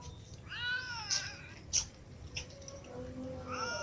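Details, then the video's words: A group of cats, including a ginger cat and little kittens, meowing as they eat. A long arched meow opens, sharp clicks follow, then a fresh rising meow at the end, with low background hum. "Ginger cat, little cats and other cats meow and all eat well"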